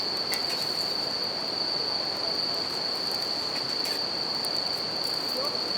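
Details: Bell crickets calling after dark by a river while a campfire burns; their bright, sustained ringing note stays even, with rushing water beneath and a few crisp fire crackles.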